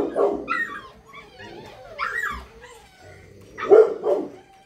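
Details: Dobermann puppy giving short yappy barks and whiny yelps in bursts, with pauses of quiet in between, loudest yelp near the end.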